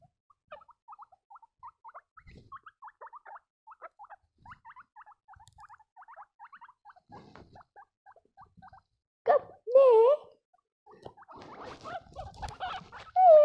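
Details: Baby guinea pigs give a long run of soft, short chirping squeaks, closely and fairly evenly spaced, followed by louder wavering whistled squeals and some rustling noise toward the end.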